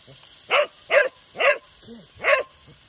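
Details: A Cocker Spaniel wanting a drink of water gives four short, sharp barks spaced about half a second apart, with a softer low whine in between, in a quiet room.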